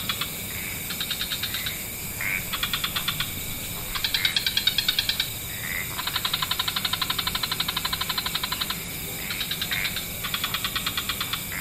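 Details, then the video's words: Many frog species chorusing in lush wetlands as evening falls: overlapping bouts of rapid ticking trills, one longer run of nearly three seconds, interspersed with short swelling notes against a continuous background hiss. "Frog Orchestra"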